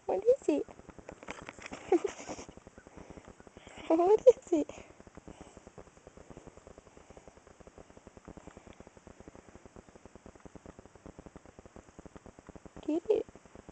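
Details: Pet house cat meowing repeatedly: several loud, harmonic, wavering meows near the start, a longer drawn-out one around four seconds, then quiet with soft rhythmic ticking before a final meow at the end.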